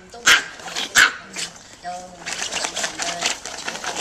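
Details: Micro teacup poodles, a family of tiny dogs originally from Alabama and now living in Hong Kong, give two sharp, high yapping barks in the first second, followed by fainter yelps under a steady wash of human voices.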